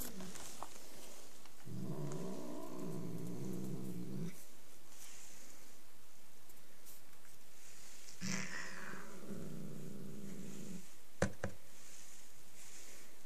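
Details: Angry domestic cat growling in two long low rumbling bursts, each lasting about two to three seconds, with quiet pauses and a few clicks and knocks between them.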